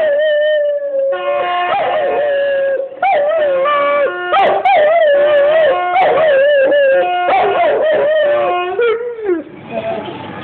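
A Great Dane howls in drawn-out, quavering notes that swoop up and down in a sing-song pattern. Steady tones, possibly faint music, sit underneath.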